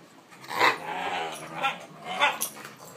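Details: Olde English Bulldogge puppy, nearly five months old and over 40 pounds, wrestling in play on a couch with another dog; three short, whiny, harmonic growling yelps rising and falling across three seconds.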